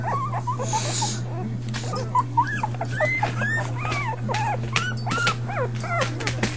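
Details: Five puppies (Patches, Chunk, Pipa Squeak, Blaze and one unnamed) whimpering: many clear, arched, squeaky whines, some rising then dropping, coming in quick overlapping bursts, with handling rustles and a constant low hum.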